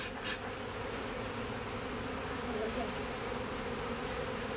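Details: Western honey bee swarm being removed from a house, the bees going in at the bottom of a hive while still trying to return to their original spot: a steady, dense, low droning hum with outdoor background noise.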